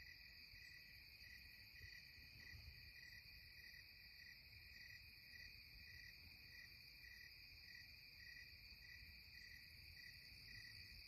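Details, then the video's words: Cicadas singing at twilight in the Catskills: a steady high shrill band with a pulsed whine repeating about every half second, layered over faint low rumble, no other clear sounds. "Twilight Cicada Serenade"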